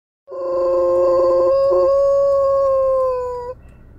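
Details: Alaskan Malamute howling with fire engine noise: one sustained, level howl lasting about three seconds, with rich harmonics, sagging slightly in pitch before it ends abruptly.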